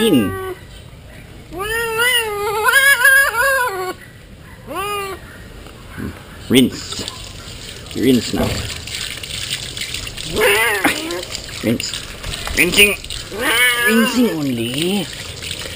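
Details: Female pet cat protesting during her monthly bath, rinsed with human bath soap: a series of drawn-out, wavering meows, some rising then falling, mixed with a person talking soothingly, running water and faint music.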